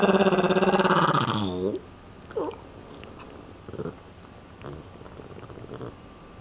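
A Lhasa Apso gives a throaty, wavering growl that slides downward, then a few faint grumbles.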